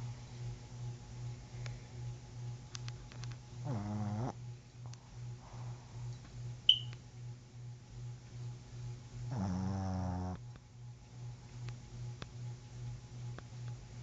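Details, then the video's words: Sleeping pet dog indoors gives a continuous low snoring hum, broken twice by louder rasping snorts with stacked harmonics, around four and ten seconds in. "my dog that snores.."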